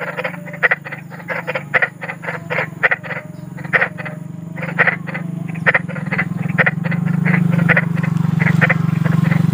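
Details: Big frog croaking in the wild: rapid, harsh, clicking croaks repeated about four times a second in uneven bursts, over a steady low rumbling hum that grows louder toward the end.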